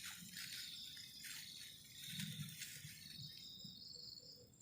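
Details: Crickets chirping on a cold night beside a garden camping shelter, a steady high buzzing trill with several overlapping callers, interrupted early on by brief rustling and clattering bursts and low thumps.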